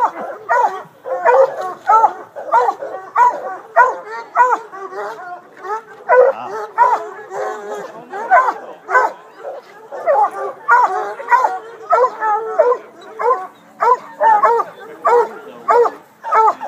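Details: Hounds at the 2012 Hound Dog Classic water race, a coon hunters' event: steady, ringing barks repeated about one to two per second in a fairly even rhythm throughout.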